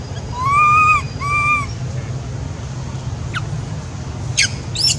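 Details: Baby monkey at Angkor Wat crying out for its mother: two clear, tonal, slightly arched calls in quick succession, followed by brief high chirps from birds over a steady low rumble of background noise.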